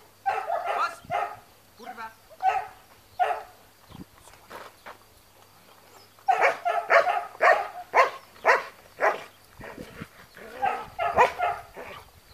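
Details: Trained long-haired German Shepherd guarding in Spata, Greece, barking in two loud volleys of rapid, harsh barks separated by a quieter gap with a few isolated woofs; human voices also audible.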